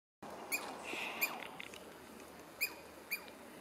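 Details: Douglas squirrel at UBC giving four sharp, high chirps with bright overtones, spaced unevenly over a few seconds, plus a softer whistled note in between; faint background hiss.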